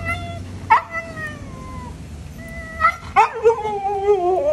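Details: Siberian Husky giving drawn-out tonal howls that slide gently downward, two separate bursts with a higher wavering cry near the end, over a low background hum.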